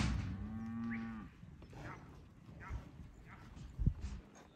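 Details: A herd of Angus/Black Baldy, Red/Red Baldy and Charolais Cross cows, aged three to five years and bred, gives one low, drawn-out moo lasting about a second. Quieter rustling and shuffling follow, with a dull thump near the end.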